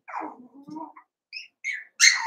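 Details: Cavalier King Charles Spaniel puppies, two litters merged into eight pups, playing together: a falling whine wavers into low whimpers, then short high yips break in near the end.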